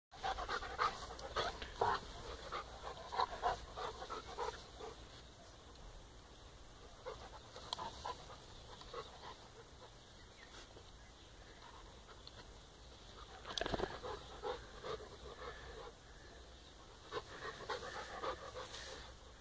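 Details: Two young brother dogs, Balu and Diesel, play together kindly and gently on their fourth day together, giving quick irregular panting breaths and scuffling bursts, with a few louder puffs mid-clip and a soft background hum.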